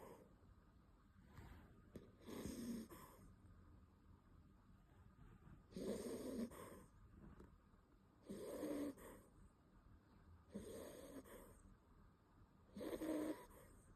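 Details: Beagle puppy named Bon sound asleep, snoring in five rasping, breathy bursts spaced roughly every two and a half seconds, with quiet breathing between them in a still room.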